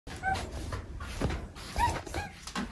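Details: Pet cats talking in the morning: Omusubi in a very cuddly mood and chatty, Ace always vocal. Short arched, rising-then-falling meows come in quick succession indoors over faint household rumble.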